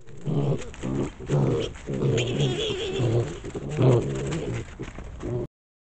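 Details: Little wild boar piglets running back and forth and chasing each other, squeaking happily; short low harmonic grunts in bursts roughly every half second to second, with one louder, higher squeak near the four-second mark.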